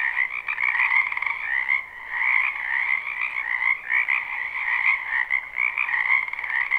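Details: A crowd of frogs croaking in a spring wetland, live recording without loops; steady overlapping trills fill the night, with brief pulsed bursts standing out from the constant chorus and a short dip near two seconds.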